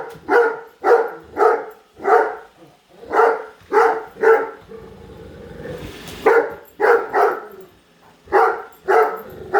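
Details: Padme the Great Dane, upset by a new Roomba, barks repeatedly at it: a fast series of about six deep barks, a brief break with machine whir, then another volley of barks.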